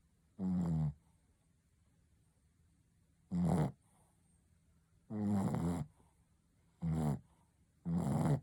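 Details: Sleeping Shih Tzu called Ponta, a pet dog, giving loud rattling snores in uneven bursts, some drawn out nearly a second, separated by quiet gaps of one to two seconds in a still, small room.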